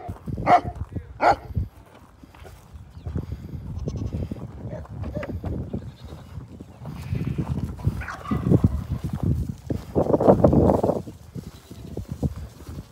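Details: Goat drinking root beer gives two short, nasal bleats at the start, followed by a long stretch of noisy slurping and gulping, with people talking in the background.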